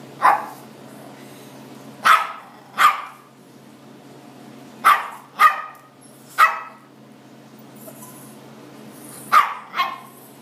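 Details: Chihuahua mix excited by a blue lobster in a fish tank gives a run of eight quick, high-pitched barks, some paired, irregularly spaced over ten seconds, with the tank's low steady hum beneath.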